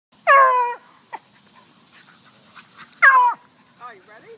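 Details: A Beagle gives two short, loud, descending whining yelps with rich harmonics, about three seconds apart, then a softer wavering whine at the end; a few faint clicks between the calls.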